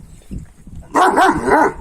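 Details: A Kangal male dog among dogs trying to win a female gives one short, harmonic, yelping bark in the second half. Low murmuring and rustle come before it.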